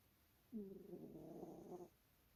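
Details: Sleeping cat giving one drawn-out snore, a buzzy, humming tone lasting over a second that starts slightly rising and holds steady before stopping abruptly, in a quiet room.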